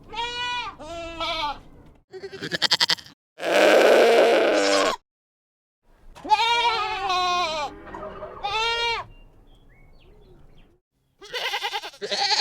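Young goats bleat in high, quavering cries, one after another, with a harsher, drawn-out yell between them.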